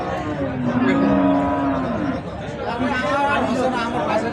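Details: Cattle at Ambari market, held Fridays and Mondays, with bulls and cows for sale; a long low moo with a slight wavering pitch, followed by fainter lowing, over constant crowd chatter and people haggling over prices.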